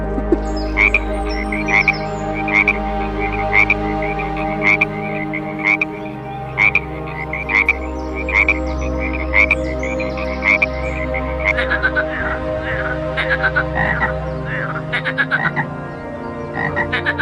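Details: Frog calling: short, sharp, clicking croaks repeated about once a second with varying spacing, growing denser and more irregular toward the end, over a continuous soft musical background.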